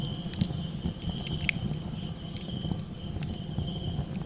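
Crickets trill in a steady, high, continuous drone over the snapping crackle of a campfire.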